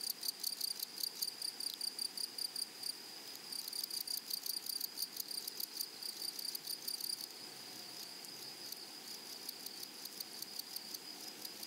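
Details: Grasshoppers in a flowery meadow or prairie, a dense high buzzing chorus pulsing in quick rhythmic bursts, roughly two or three per second, easing into a steadier continuous hiss after about seven seconds.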